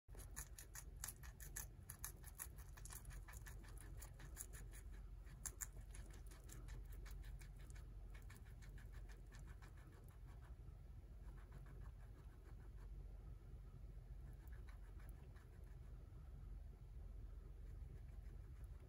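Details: Guinea pig named Tot eating romaine lettuce: soft, rapid crunching and crisp nibbling ticks throughout, quiet and close, over a low steady background rumble.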